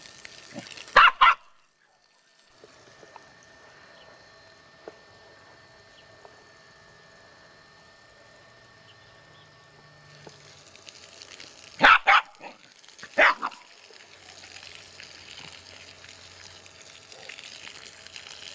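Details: A Jack Russell Terrier in a garden, fighting a garden hose, gives a few sharp, high barks with a long quiet gap between them.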